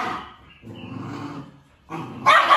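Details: A two-month-old Samoyed puppy gives rough, growly, biting-like barks while eating, guarding its food from its owner.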